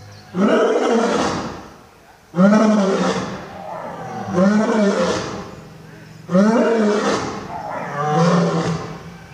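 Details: Lions, old and young, roaring: five strong, drawn-out moaning roars roughly every two seconds, each with a rising then falling harmonic arc and a breathy fade.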